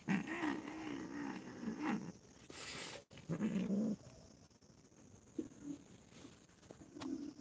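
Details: Cats from a family of four quarrel while playing together. Low, wavering growls rise and fall over the first two seconds and return in shorter bursts, with scuffling noises and a sharp break in between.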